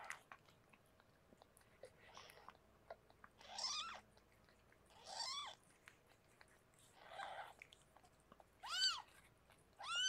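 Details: Harlequin, a rescued pregnant cat in a foster room, during the birth of her six kittens: five or six thin, high, rising-then-falling mews spaced about two seconds apart, some faint and breathy, over a soft indoor hush.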